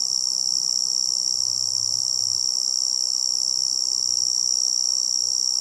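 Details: Tree cricket giving a steady, unbroken high-pitched trill that holds an even pitch and loudness throughout, over a soft low rumbling hiss.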